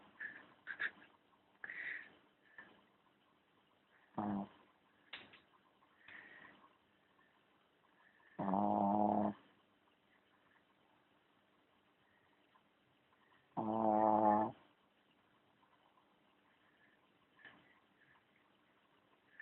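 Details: Snoring from Charlie the dog: two strong, low, droning snores about five seconds apart near the middle, with scattered quiet clicks, taps and rustling before and after.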